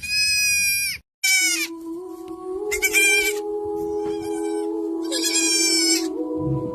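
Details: Young goat kid bleating: loud, high, nasal bleats of about half a second to a second, four in under seven seconds, with short gaps, over steady background music.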